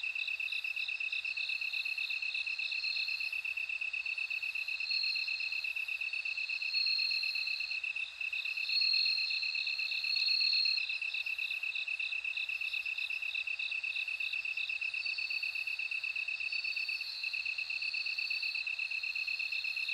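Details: A long stretch of bell cricket song: a fast, regular high-pitched pulsing trill continues throughout. Above it a second ringing voice comes and goes in bursts, with quiet background stillness.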